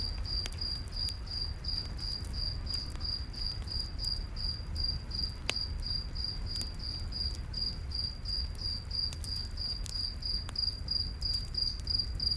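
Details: Crickets chirp at night in a forest beside a campfire: a steady, high, even chirp repeated about three times a second, with sharp crackles and pops from the burning fire and a low rumbling bed underneath.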